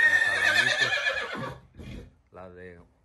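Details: An 11-month-old colt whinnies: a loud, shrill, quavering whinny lasting about a second and a half, then a soft breathy snort and a short, lower nicker that rises and falls.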